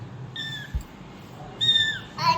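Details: Mother cat and kittens; two brief, high, thin meows with a slight falling tail, then a short lower cry at the end over a quiet room hum.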